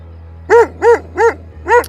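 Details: Shepherd dog following a walker closely in open country, possibly a Turkish Kangal, barking at him: four loud, deep, evenly spaced barks about a third of a second apart, with a steady low hum beneath.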